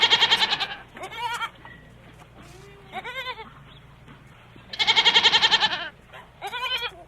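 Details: Goats bleating: several loud, wavering, harmonic-rich bleats with a tremulous quaver, some long and some short, separated by quiet gaps with a low steady hum underneath.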